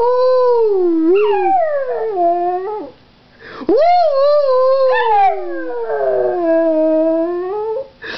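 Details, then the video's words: Howling pug gives sustained, mournful wails that slide up then sag downward, with a brief gap near the middle before a long, level final howl and faint room noise. "Howling Pug"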